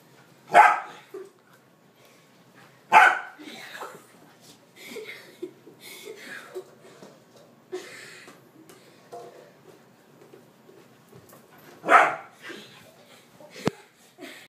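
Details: Dog barking during play: three loud sharp barks spread irregularly over the stretch, with softer grunts, yips and human speech in between.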